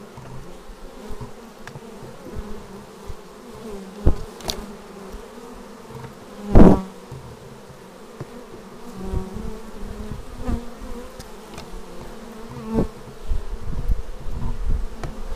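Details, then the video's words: Honeybees arriving at a beehive, filmed raw on a Xiaomi Yi action camera: a steady low droning hum with wavering buzzy tones, and a sharp click-like burst near the middle as a bee passes close. "Bees arriving at hive"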